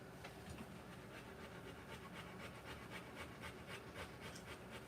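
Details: Rottweiler panting during the live birth of her puppies: soft, breathy, hissing pulses repeated steadily, close to four per second, throughout, over a low background hum.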